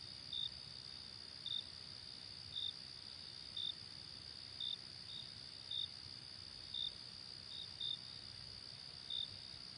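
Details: Crickets at night in late summer: high steady trilling background with regular brief loud chirps about every second, occasionally doubled.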